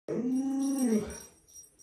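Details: Luoluo, a pet Alaskan Malamute that looks after a small child at home, gives one short, steady low moaning howl of about a second that fades out.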